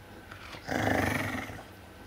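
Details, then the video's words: Guarding a bone against a smaller dog, a larger dog lets out a single low, raspy growl of about a second that swells and then fades, with little else audible around it. "It's My Bone Grrrrrrrrrr"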